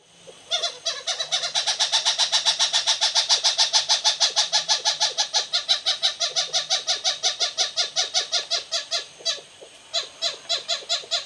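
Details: Lesser galagos (bushbabies) from two families living in a thatch roof at Raptor's View Wildlife Estate, Hoedspruit, South Africa, in the evening: a rapid, steady series of sharp, harmonic chirping barks, about three per second, pausing briefly near the end.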